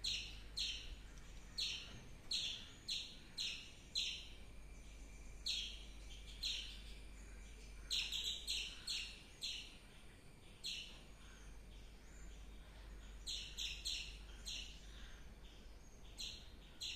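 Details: A squirrel repeats short, shrill chirps in uneven bursts, rapid clusters broken by brief pauses, around thirty notes in all over a faint background hum.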